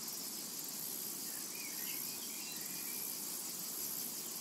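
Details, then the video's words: Cicadas in a summer meadow: a dense, shrill, high-pitched buzz runs steadily throughout, with a faint pulsing shimmer at the top and a few soft chirps from a bird in the background. "A Tranquil Summer Meadow | Summertime and Cicada Ambience to Relax to"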